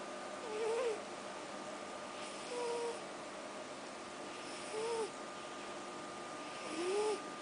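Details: NORO, a sleeping cat, breathing in wheezy snores roughly every two seconds, each breath carrying a thin whistled squeak that rises and falls, four breaths in all against a quiet indoor hush.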